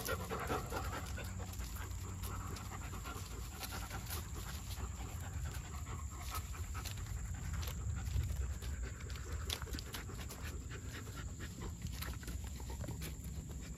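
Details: German Shepherd puppy panting: rapid, rhythmic breathy puffs repeating steadily throughout, over a constant low hum and a faint high-pitched electronic whine.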